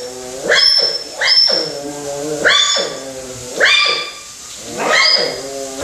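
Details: At Ise Sea Paradise, a captive African clawless otter gives high, yelping whines, each rising then falling, about once a second. These are affectionate, attention-seeking calls during the keeper's morning cleaning, unusually vocal for this normally quiet species.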